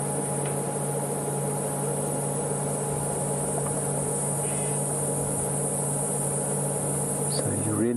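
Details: On a late-afternoon safari drive in Sabi Sands, South Africa, on November 11, 2015, in windy weather, cicadas make a continuous, very high, even buzz that never breaks, over a low engine hum, with a voice briefly at the end.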